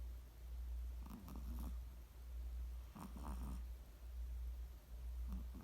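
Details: Chihuahua snoring: soft rasping breaths in three short bursts roughly every two seconds, each with a faint fluttering buzz, over a steady low hum in a quiet indoor setting.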